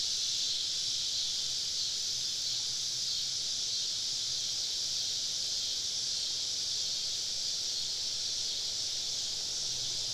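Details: Cicadas singing all around a woodland campsite on a southern summer evening: a steady, dense, hissing buzz held high in pitch without pause, many insects blending into one unbroken drone, faint low hum beneath.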